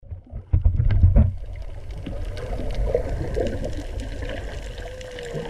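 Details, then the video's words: Humpback whale song heard underwater while snorkeling over coral near the old Mala Pier at Mala Boat Ramp, silty water. Loud splashing bursts open, then faint wavering moans, ending in a clear rising tonal sweep over steady water noise. "Humpback Song"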